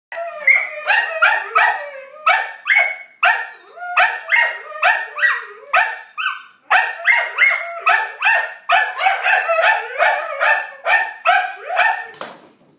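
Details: Norwegian Elkhound / Alaskan Malamute mix dog (Canis familiaris), talking vocalization.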